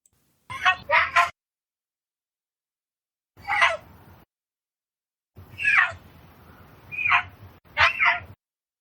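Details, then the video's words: Captive mountain lion, held since very young, begging excitedly as food arrives, a habit kept from youth; five harsh, squealing cries in short bursts separated by silent pauses, the first a quick double. "So let's listen one more time as this excited mountain lion gets ready to get some food."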